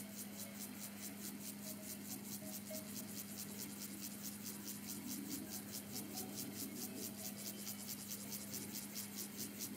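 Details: A Siberian grasshopper (Gomphocerus sibiricus) sings a rapid, rasping stridulation of regular pulses at Zollner Alm on 27 July 2017, with cowbells ringing in the background.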